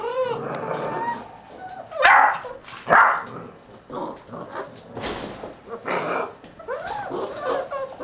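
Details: Six-week-old mixed-breed puppies from a litter of ten, sired by an American Staffordshire terrier out of a Border collie/German shorthaired pointer mother, give overlapping whiny yips and rising-falling whimpers, with loud bursts near two and three seconds amid scuffling.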